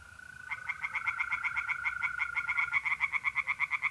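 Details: Tree frogs singing at night in a pond in mid-April, north-east Italy: rapid pulsed croaks around five per second, with a steady trilling mole cricket held underneath until near the end.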